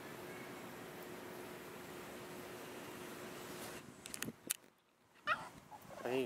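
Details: A female Boston Terrier makes warbling, talking whines and grumbles, asking for her ball, while a person speaks to her.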